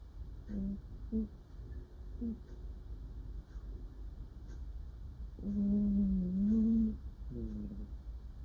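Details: Dreaming female cat making soft murmurs in her sleep: several short low hums early on, then a longer drawn-out murmur of about one and a half seconds that wavers and rises slightly, followed by one more brief hum.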